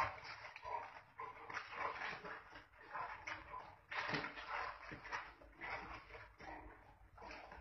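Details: Wild boars fighting, giving harsh, noisy squeals and grunts in irregular bursts about every half second to second, some louder rasping outbursts, with a faint background hiss throughout.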